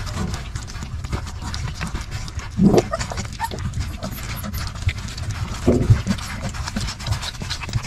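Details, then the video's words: Hungry puppies fighting over milk, a scene out of control: constant low scuffling and rumbling, with two short, sharp whining yelps near the third and sixth seconds above the jostling. "Hungry puppies fighting over milk"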